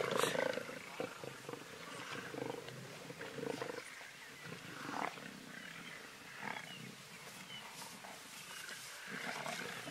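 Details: Pride of lions feeding on a zebra in the Greater Kruger National Park, South Africa, during the 2018 dry season; rough, rasping growls and snarls come in uneven bursts throughout, with tearing and chewing noises and faint human voices.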